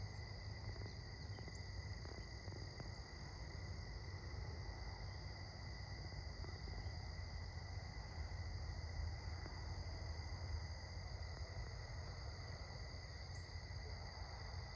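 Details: Crickets chirping at sunset, heard on an evening walk: a steady, unbroken high trilling in several layered pitches runs throughout, over a heavy low rumble of wind or handling noise.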